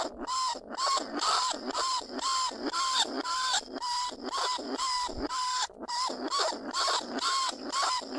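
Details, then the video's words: Lesser bandicoot rat held in a cage trap, recorded in the rice fields of Na Lao, Nong Khu Phai. It calls other rats with steady, nasal squeals about twice per second, each note level and then dipping. The recording serves as a lure. "ต้นฉบับเสียงต่อหนูพุกใหม่ล่าสุด หนูอีตั้นชุดที่2 ร้องเรียกหนูในกรงเพล็กดักหนู"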